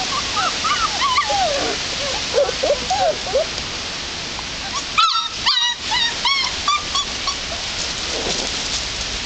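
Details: Belgian-German Shepherd hybrid puppies, four weeks old, whimpering outdoors: thin, high, wavering whines in quick irregular bursts, rising and falling, over a constant rushing hiss like running water, with a few sharp knocks midway.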